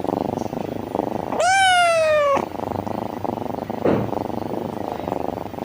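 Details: Pulsing purr of a very happy kitten, interrupted once by a loud, slightly falling meow lasting about a second, then the rumbling purr resumes.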